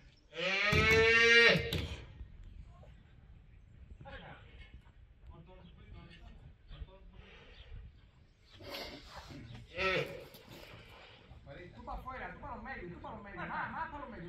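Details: Calf, a young female trained with for bullfighting at a ranch-based private school, lets out a loud, strained, harmonic bawl lasting about a second at the start, followed by scattered voices and handling noises.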